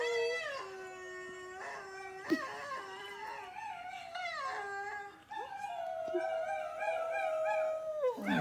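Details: Domestic dog joining in as a recording of howling dogs plays; several overlapping voices hold long level and falling howls, some rising and bending, with a brief sharp yip in the middle.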